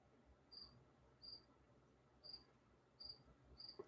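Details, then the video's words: Cricket outside an exterior door, heard faintly through an indoor mic: brief high-pitched chirps spaced roughly every half to one second over a low background hum. "Dude, can you hear the crickets?"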